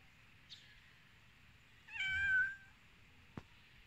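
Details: Hungry cats waiting to eat; one clear meow around the middle, a short harmonic call that swells and fades, with a faint click before it and a sharp tap after.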